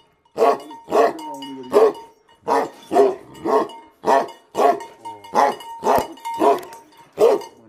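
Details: Tibetan Mastiffs, BhoteKukur, barking aggressively: heavy, hoarse barks in rapid uneven succession, with a brief growling whine early on and a faint steady tone behind.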